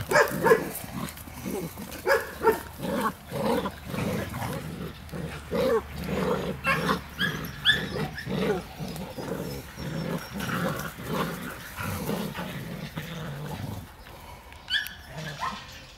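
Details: Two-month-old puppies of one litter playing with their mother, giving low, rough growling grunts in a steady beat of about two per second, with scuffling noise throughout.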